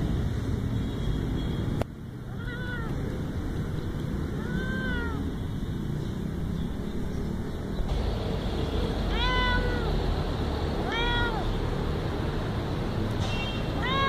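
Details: Small cat meowing repeatedly, high arched harmonic meows rising then falling, about seven across the stretch, some in quick pairs, over steady low rumbling background noise and a constant high tone in the first part.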